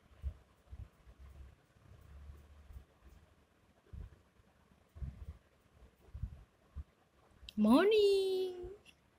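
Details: The Rock, a sleepy pet cat who sleeps a lot, being woken indoors, gives one drawn-out meow near the end that rises sharply and then holds steady for about a second, after several seconds of soft low thumps and rustling.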